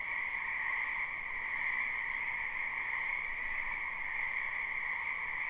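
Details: Many frogs croaking in a wetland behind a house in spring, live recording: a dense, unbroken chorus of steady trilling in two bands, one higher and one lower, holding an even level throughout with no pauses.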